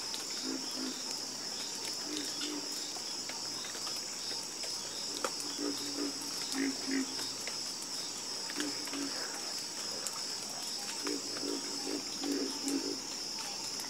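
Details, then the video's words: Frogs croaking in chorus, with bursts of short throbbing low croaks in rapid series every few seconds, set against a constant high-pitched insect drone and faint clicks. "Calming Sound Of Harmonious Frog Croaking"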